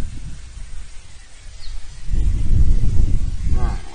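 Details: Red deer roaring during the rut (berrea) in front of a camera at Territorio Lince, Spain, 19-09-24: after a quiet start, deep, rough, low-pitched bellowing builds for the last two seconds, with a brief harmonic tone near the end.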